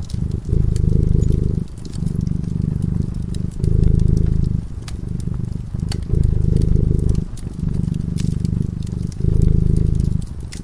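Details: Feline slumbering beside a crackling fire, its low rumbling purr rising and falling in a regular breathing rhythm about every two seconds, with sporadic pops and snaps from the flames throughout.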